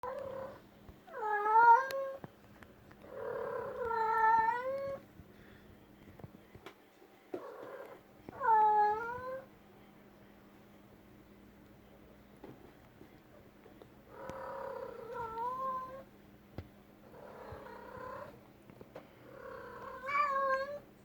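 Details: Pet cat indoors in a room, making repeated drawn-out meows with clear harmonics, some rising and wavering, about nine calls a minute with quiet gaps between them.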